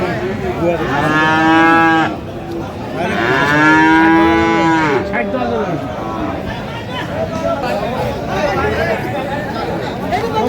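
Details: Friesian and cross-breed bull calves being bought and sold at the Aftabganj cattle market in Dinajpur on 20 August 2025; two loud, long, harmonic moos rise and fall in succession, amid the murmur of a crowd and other distant lowing.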